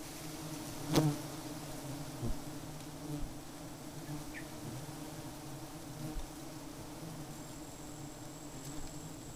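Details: Giant honey bees (Apis dorsata) at a honey-hunting site, with a colony found empty of honey away from acacia: a steady low droning hum through the whole stretch, with a sharp knock near the start and faint distant ticks.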